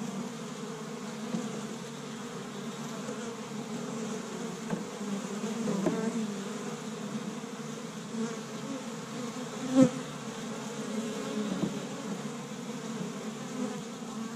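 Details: Spring activity at an established honey bee hive in Michigan on the first warm day; dense, even humming of numerous bees, punctuated by a few louder individual fly-bys, one standing out near the tenth second.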